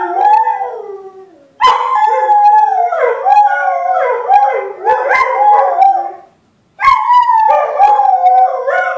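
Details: Pair of domestic dogs joining in a howl set off by a talking caller ID, voices interweaving in quavering, rising and falling wails, broken by a short silence before a fresh burst of overlapping howls resumes.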